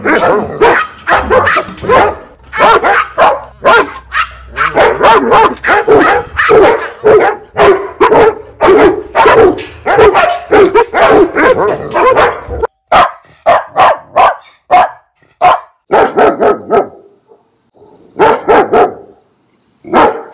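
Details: Loud domestic dog barks from a fifteen-breed compilation, a fast continuous volley of overlapping harsh barks for about twelve seconds, then sparser single and paired barks with short silent gaps.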